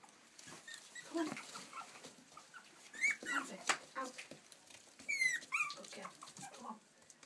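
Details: Young Yorkshire Terriers from Stockport, Cheshire, England, letting out a few sharp, high squeaks and short whines spaced a couple of seconds apart, over soft rustling and movement noise.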